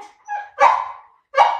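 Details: Two pet dogs, a Labrador called Laoda and a Teddy called Shiliu, in a patience contest; a soft whine followed by two sharp, loud yapping barks about three-quarters of a second apart.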